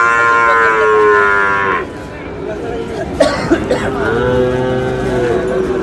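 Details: Sahiwal bull calves, six to seven months old, at a cattle market where a Dhaka farmer buys stock on 16 March. A drawn-out, harmonic-rich bawl lasts nearly two seconds, and a second, lower moo follows. Market noise and voices surround it.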